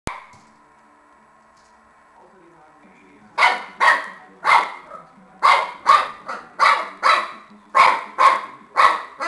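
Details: Shar Pei puppy barking while playing with a tennis ball: after a quiet start with a faint hum, sharp barks begin near three seconds and come in quick, uneven bursts of one or two.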